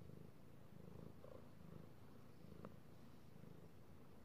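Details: Purring male house cat enjoying being petted, recorded on 16 March 2018: a continuous deep, throbbing purr rising and falling in short regular cycles, with one brief sharp click partway through.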